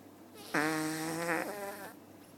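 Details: Sleeping cat in a cat cafe snoring: one long, buzzy, harmonic-rich rasp lasting about a second, dipping slightly in tone at its end.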